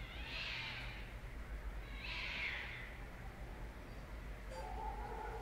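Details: Cat uttering two high, thin meows about two seconds apart over a steady low hum of background noise, followed by a fainter lower sound near the end.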